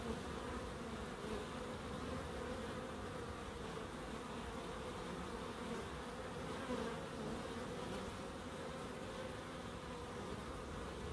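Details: Relaxing drone of bees in a small terrace-house garden in Crookes, a dense continuous buzz with gently shifting overlapping tones and a faint soft tap partway through.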